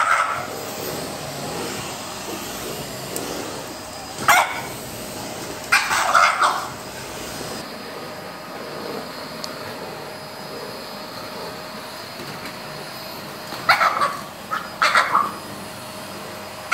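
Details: A French Bulldog barks at a vacuum cleaner in its morning routine, giving short, squeezed-out bursts of sharp barks in twos and threes over the steady mechanical hum.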